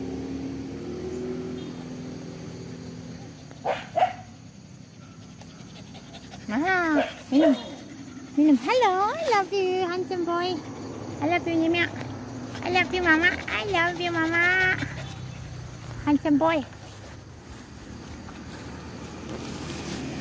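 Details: Playful pet dogs produce a lively run of rising-and-falling yelping whines, many quick bursts clustered through the middle, with short barks, panting and human voices mixed in.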